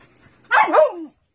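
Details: Siberian Husky during basic training commands with its owner; one short, yowling bark that rises then falls away at the end, with no other sound around it.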